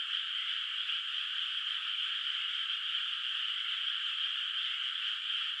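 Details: Many frogs calling in the distance from a moonlit rural rice field at night, before the rice is planted: a bright, high, densely layered trilling chorus, steady and continuous, with no birds, people or other noises.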